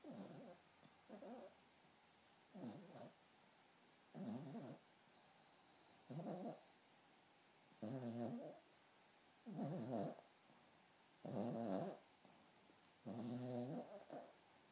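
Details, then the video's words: Harli, a sleeping Pomeranian puppy, snores in steady rhythm: about nine raspy, tonal breaths, each around half a second long, recurring roughly every 1.6 seconds in a quiet room. "Harli the Pomeranian snoring"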